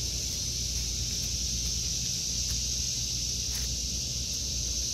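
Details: In a vegetable garden in August 2023, cicadas keep up an unbroken shrill, metallic drone, with a soft low rumble of wind beneath it.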